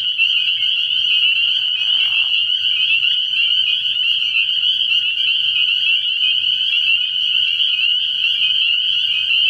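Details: At a frog pond on an early-spring night, spring peepers fill the air with a continuous high shrill chorus of overlapping peeps; a short lower rasping burst sounds around two seconds in, with a faint low throbbing beneath.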